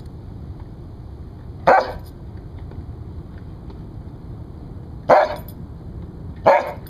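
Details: Rescued Siberian Husky barking as a guard dog: three short, sharp barks, one alone and then two closer together, over a steady low background hum.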